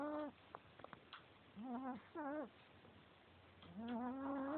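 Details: Male Chihuahua fast asleep, making wavering whistled snores in short bursts, then a longer rising drawn-out wheeze at the end, with soft clicks in the quiet gaps.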